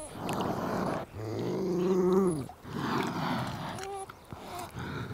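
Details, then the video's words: Beaver vocalizing: low, moaning, harmonic whines that rise and then slide down, mixed with breathy, grumbling noise and a short higher squeak near the end. "What does a Beaver sound like?"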